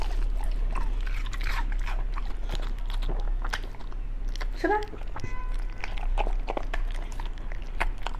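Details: {'caption': 'A pet Beagle crunching through raw foods in a small room, loud continuous biting and gnawing, dense snapping crackles throughout, with a short spoken voice breaking in around the middle.'}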